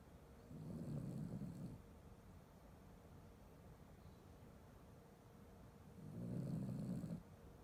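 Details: Sleeping Chiweenie dog snoring indoors: two low, rumbling snore bursts about five seconds apart, each lasting roughly a second, with quiet breathing in between and faint room hiss.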